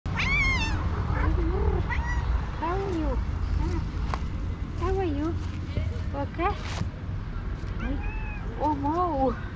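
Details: Female cat meowing and trilling at the same time, a series of short rising-and-falling chirping meows, some wavering, repeated every second or so over a low steady hum.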